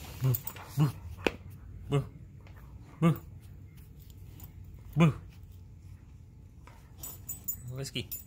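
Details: A Siberian Husky playing with a flip-flop makes short, deep, grunting woofs, about six spaced one to two seconds apart, while a person talks to the dog nearby.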